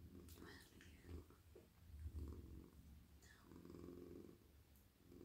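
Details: A male house cat lying in a lap at night purrs in low breathy pulses while being petted on the head and neck. Soft whispered speech and rustles are heard between the purring swells.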